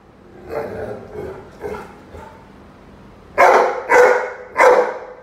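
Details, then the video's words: Rhodesian Ridgeback Roady in a standoff with a chicken: several soft muffled barks first, then three loud sharp barks in quick succession. "Rhodesian Ridgeback (Roady vs The chicken)"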